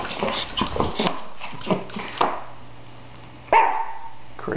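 A Shih Tzu gives short, sharp barks mixed with people talking nearby.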